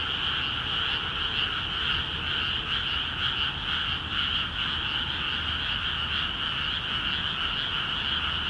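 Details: A crowd of frogs in newly flooded rice fields of Akiha Ward calls vigorously; countless croaks blend into an unbroken, buzzing wall of sound, faintly pulsing about twice a second, with no other voices.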